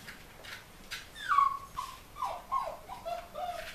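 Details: Collie puppies in their eighth week, from a litter bred at Flörsbachtal, give short high whimpers and whines that slide downward, several in a row over a few seconds, with soft background rustling.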